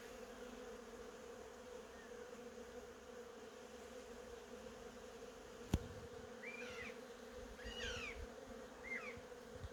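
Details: Honey bees humming steadily around cherry blossoms; a sharp click cuts in partway through, then three quick chirping bird notes close the recording over the drone.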